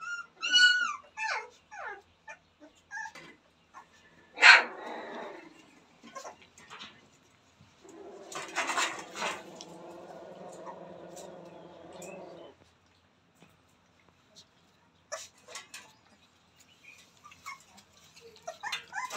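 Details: Newborn Rottweiler puppies at play: short high whimpers and squeaks scattered through, with a longer whining cry around the middle and soft rustling and clicks between calls.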